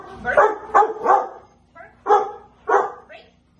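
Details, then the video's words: Female Rottweiler doing protection bite-development work with her owner in a basement on March 24, 2021: short, harsh barks in a quick burst of three, then two more spaced about half a second apart, with a person's voice mixed in. "Rottweiler protection in the basement"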